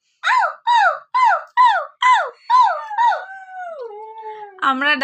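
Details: Domestic Husky giving seven evenly spaced, arched yelping notes about every half second, running into a long downward-sliding howl, with a brief lower voice at the end.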